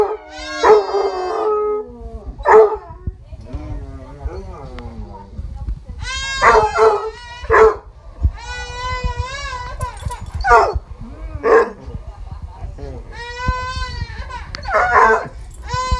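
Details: Basset Hounds reacting to a crying baby with short bursts of howling and yelping, separated by quieter gaps, some notes wavering upward, with background room noise.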